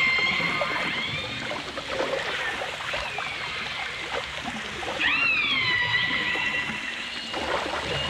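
Dolphin whistles: thin, tonal sweeps, one sliding up sharply then gliding down, over a watery wash.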